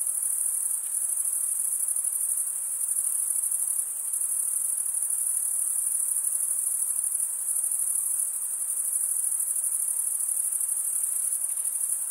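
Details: A cricket chorus gives a sustained, very high, buzzy trill that carries on without pause and swells and eases slightly in loudness, with no birds, wind or human sounds.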